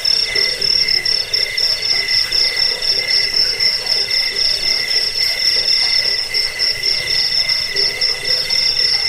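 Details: Cricket chirping meant for driving away rats, lulling people to sleep and tutoring caged birds; a continuous shrill pulsed trill with a lower steady band underneath, beating in quick regular bursts several times a second.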